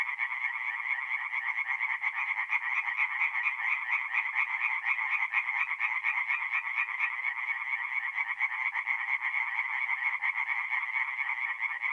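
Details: Singing tree frogs at a forest pond by night in mid-April, North-East Italy; a dense, continuous chorus of rapid, pulsed croaks, roughly two per second overlapping, bright and nasal, with no other sounds.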